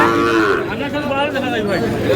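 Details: Sahiwal bull calf at a cattle market, bought by a farmer from Comilla, Bangladesh, on 3 June: a low, harmonic moo in the opening half-second that fades into murmuring voices and crowd chatter.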